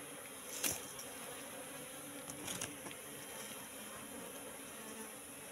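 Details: Wild Asian honey bees (Apis cerana) entering a three-month-old trap box: a steady low hum of many wings with a few sharp clicks and knocks near the start.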